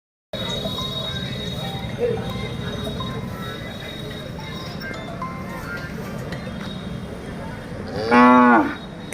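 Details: A Hallikar ox, one of a young pair with milk teeth, at a cattle fair in Maddur. A steady crowd din fills the clip, then a single loud harmonic bellow near the end lasts about half a second.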